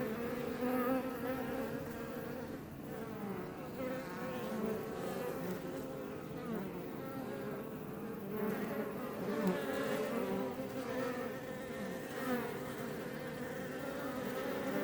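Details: Iberian honey bees (Apis mellifera iberiensis) flying outside a Langstroth hive west of Roquetes, south Tarragona, Catalonia, Spain, near Els Ports National Park; dense overlapping droning hum with many wavering tones, swelling as individual bees pass close.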